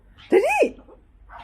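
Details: Shih Tzu during play time, a romp that could pass for a fight: one short, sharp yelping bark that arches up and falls back in pitch over about a third of a second, followed by a faint human voice.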